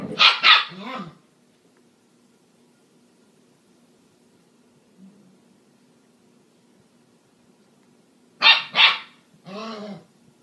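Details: Husky and corgi puppies at play: two short bursts of high, sharp yapping barks near the start and again near the end, separated by a long quiet stretch with a faint low hum.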